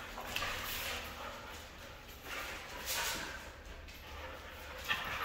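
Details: A red female Siberian Husky makes brief, rough, breathy bursts between yips and whines, in irregular bouts every second or two, over a low background rumble.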